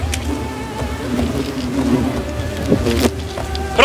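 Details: Hundreds of hornets attacking while their nest is pulled by hand from an old tree: a steady, droning low buzz with layered humming tones, occasional clicks and knocks, and faint background noise throughout.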